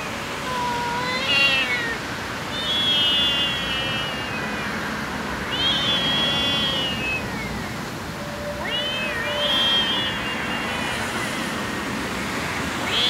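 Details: Baby cat on the street giving high, drawn-out meows roughly every three seconds, each rising then falling, over steady street background noise.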